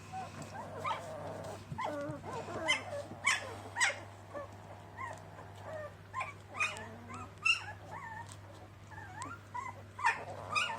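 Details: Border Collie puppies, a litter, whining and yelping together: many short high, bending squeals and whimpers overlapping continuously, with a low steady hum behind.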